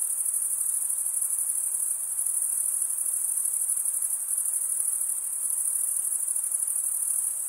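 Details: A sustained chorus of cricket chirping, produced as males scrape one wing over the toothed vein of the other; shrill, steady, rapidly pulsing trill with no pauses and a faint hiss underneath.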